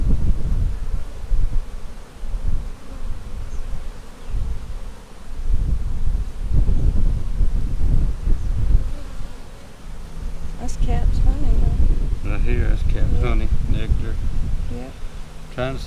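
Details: Honey bees from a March 4 hive split, inspected April 15, 2017, drone in a deep, fluctuating hum that rises and falls, with a burst of quick bird chirps and trills over it in the final seconds.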